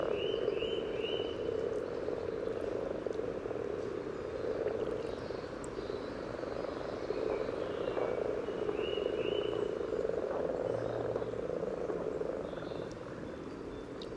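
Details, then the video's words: Common frog chorus at a spawning site along the yellow trail in Sunnersta, Uppsala, Sweden, recorded just above the water: continuous low grunting purr swelling and fading, with short high bird chirps in small series early and midway. "Spelande vanlig groda"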